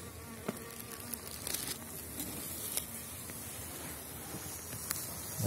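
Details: Honeybees of the Elgon bee line inside a freshly opened hive, spring 2019, colony strong after wintering and ignoring supplied fondant; continuous droning buzz of many bees, scattered clicks from frames being handled.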